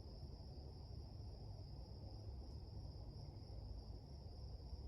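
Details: Many crickets near a little meadow in a forest at the beginning of June, sounding a steady, unbroken high-pitched trill over loud low rumbling noise.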